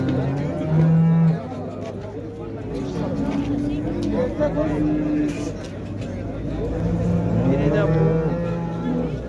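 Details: Cattle at the Şarkışla livestock market in Turkey, 24 February 2024, where cows with calves are for sale: two low moos, one early and one late, rise over constant market noise, people talking and a passing vehicle.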